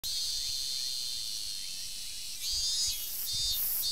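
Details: Robust cicada singing in a forest in summer, 19 August 2012: a loud, continuous high buzzing with a steady band, then pulsing bursts of a second, higher buzzing voice in the last second and a half.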